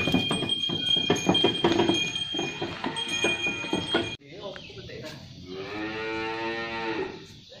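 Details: Shod sapi londo cattle pulling a traditional pegon cart; jangling bell tones and clatter first, then a drawn-out, rich harmonic moo rising in the final three seconds.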